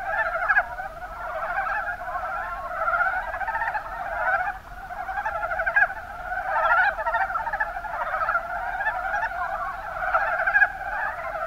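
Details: From Kumamoto's Kuma Basin in Japan, a crowd of Mountain brown frogs (Rana ornativentris) croaks together, a steady blur of quick, rattling chuckles at middle pitch, with occasional sharper accents standing out.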